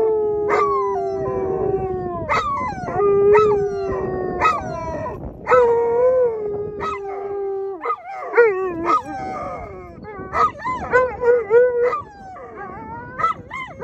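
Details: Alaskan Malamutes howl with a Labrador Retriever during sled dog land training in Long Sault, Ontario, excited while waiting to run as a team. Sustained wavering howls are broken by short rising yips and whoops, with several dogs overlapping throughout.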